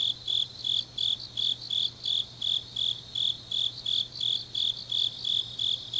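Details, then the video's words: Grass insects on a deep autumn night in Changnyeong, South Gyeongsang, Korea: high, bright chirps pulsing steadily about three times a second, with a second fainter insect trill layered above and a faint low steady hum beneath. "깊은밤 가을 풀벌레 소리"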